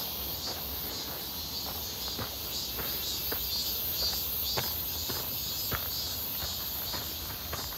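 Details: On a hot, clear 1 August 2023 walk near Seonbawi, many cicadas keep up an unbroken high buzzing wall of sound with a slight shimmer, over regular soft footsteps.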